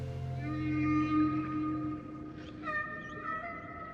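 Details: Humpback whale song, described as otherworldly calls strung together in a continuous river of sound: long sustained tonal moans with stacked harmonics, a low drawn-out note followed by higher steady tones, with music underneath.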